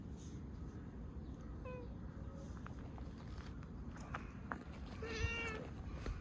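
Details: Community cat with an injured paw meowing sweetly as it walks toward the person who feeds it, a few short thin mews over steady low outdoor rumble.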